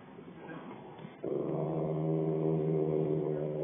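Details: Rottweiler with a major attitude: faint mutter at first, then a sudden loud, sustained, deep harmonic growl that holds steady to the end.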